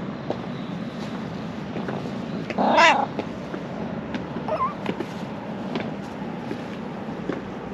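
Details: A ginger stray cat in Japan, affectionate and just woken up, lets out a loud meow near the three-second mark, then a softer short rising call, over steady outdoor background noise.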